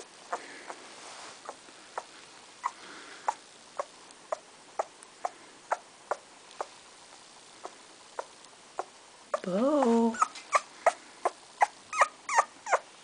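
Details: Two-week-old Bull Terrier puppy, one of a litter, giving a single wavering whine near the end that rises and falls with stacked harmonics, amid steady ticking and soft pattering clicks in a small room.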